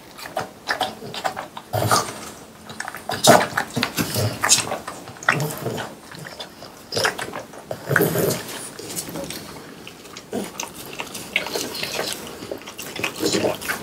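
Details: Watermelon is crunched and slurped by pet French Bulldogs Pang, Kun and Ppo indoors in summer. Loud, uneven bursts of biting and wet munching repeat through the whole stretch with short quieter gaps.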